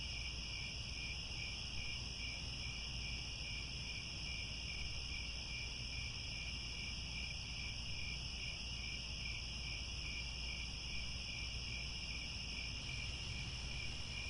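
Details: In Cambodian grassland at Angkor Wat around sunset, many crickets keep up a continuous shrill, pulsing chorus in several high bands, one band dropping out near the end, with low rumbling noise underneath.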